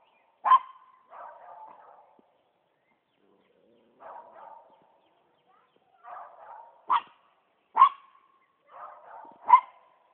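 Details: A poodle treeing a squirrel gives sharp single barks mixed with softer, lower grumbling bursts. The barks come close together in a quick cluster near the end.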